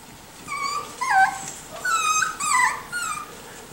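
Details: Miniature Schnauzer puppies, four and six weeks old: a run of high, wavering whines and yelps, about five short calls in under four seconds, some rising then falling.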